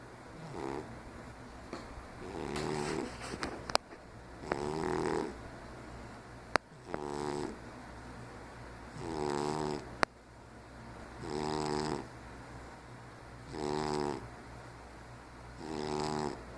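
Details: Asleep and noisy, Ralph the diabetic 15-year-old cat snores in regular raspy bursts about every two seconds, some breaths split into short double pulses, with a few sharp clicks in the background.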